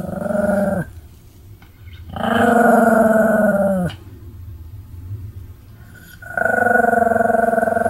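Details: Pomeranian dog, jumping and spinning while vocalizing nonstop, recorded 26 May 2015: three long, harmonic, whining-growling calls, each lasting about one to two seconds and separated by short quiet gaps.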